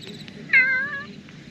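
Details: Bicolour black-and-white cat speaking up to a person: a single bright, whining meow, starting high and sliding slightly downward as it fades, about half a second long, over a soft low rumble.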